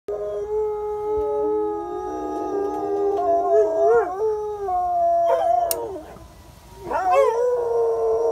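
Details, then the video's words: Several pet dogs howling as fire trucks drive by; long, drawn-out tonal howls that overlap, waver and sometimes swoop upward, loud and sustained with brief breaks between voices. "Dogs howling at fire truck"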